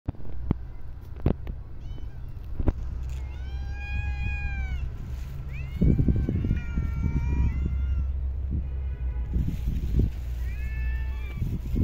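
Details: Street cats in a park being fed, giving several drawn-out, harmonic meows that arch slightly upward then fall, in three bursts across the stretch, over steady low rumbling traffic-like hum and occasional knocks.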